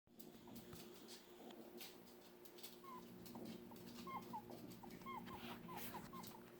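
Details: Archer, a pet dog, squeaking when upset: short high squeaks with quick rising and falling pitch, sparse at first, then coming in a rapid irregular cluster over a steady low hum.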